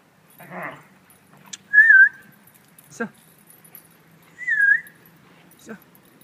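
Two thin, high whimpers rise and dip slightly, each lasting about half a second, from Great Dane puppies. A person's voice briefly speaks at the start, and a few sharp clicks or knocks punctuate the pauses.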